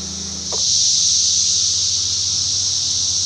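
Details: A dense, heavy chorus of Brood X periodical cicadas in woods beside farm crops in Darke County, Ohio, on June 13, 2021, forms a steady, high, hissing drone that swells and holds.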